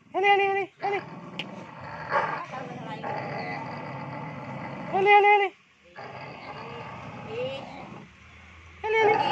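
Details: Village dogs in breeding season, fierce males acting aggressively. High, stacked yelping cries burst out at the start, near five seconds and at the end, separated by a rough, continuous snarling background.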